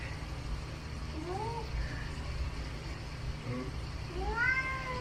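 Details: House cat complaining at the fridge that once held its favourite dried sardines, giving soft, faint rising chirps and a louder upward-sweeping meow near the end over a steady low household hum.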